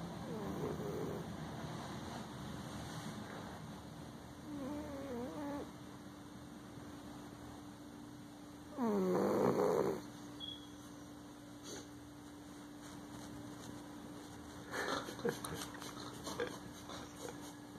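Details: A male Siamese cat sleeping in his favorite old chair snores loudly in soft, rasping breaths every few seconds over a steady background hum.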